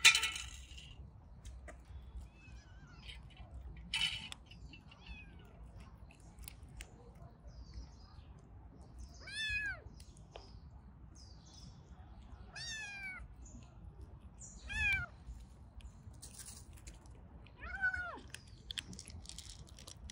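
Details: Orange tabby cats of a family of four with kittens; high, harmonic meows rising then falling, given singly every few seconds, with faint clicks and rustling between calls.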